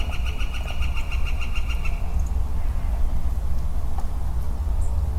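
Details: In early spring woodland on 4 4 22, a solitary male western chorus frog gives a fast, evenly pulsed rasping trill lasting about two seconds, then falls silent beneath a persistent low drone.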